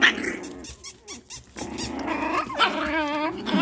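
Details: Chihuahua puppies at a home kennel in Simferopol, Crimea, Russia, growling, then giving short high yips and wavering whines between bursts. A woman talks to them throughout.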